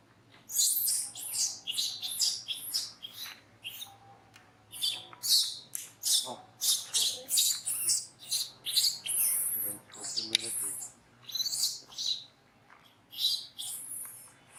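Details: Monkey at Angkor Wat Park crying while being disciplined by another monkey: a long run of shrill, high-pitched screams in short bursts, repeated roughly twice a second with brief pauses, continuing throughout.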